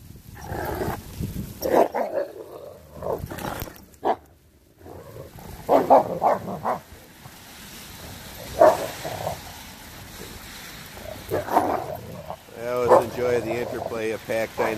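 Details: Renaissance Bulldogges at play in snow, an adult disciplining a ten-month-old pup for playing too rough; rough, throaty growls and snarling bursts come in irregular bouts with panting and scuffling, and wind noise is present.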